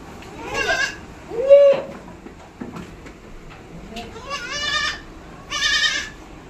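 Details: Hybrid goats at a goat farm in West Bengal give several quavering, harmonic bleats, each under a second, spaced a few seconds apart, with people talking faintly and farm noises behind.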